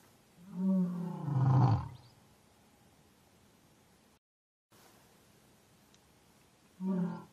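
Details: An African lion roars, a long harmonic call sliding into a low growling rumble, followed by quiet, a brief dropout, then a shorter grunt at the end.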